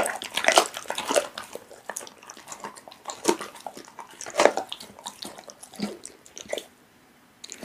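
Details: Pit bull eating raw meat, sharp wet clicks and slurping chews in uneven clusters, a quiet pause near the end before one last bite.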